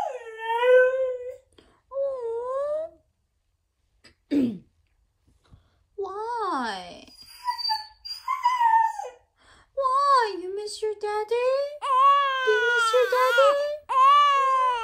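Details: Siberian Husky home alone indoors giving a long series of loud, sad, wailing whines and howls. Each is a sustained, bending tone with sharp rises and falls, broken by short pauses, with a quick yelp midway.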